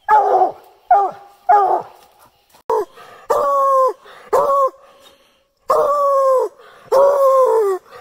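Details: Bluetick Coonhounds barking treed, several hounds on a tree: loud, harmonic bawling barks, some short, some drawn out nearly a second, in uneven bursts with brief quiet gaps between.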